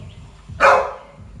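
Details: A pet Labrador Retriever in the morning gives one short, loud, broadband bark, with faint background noise before and after.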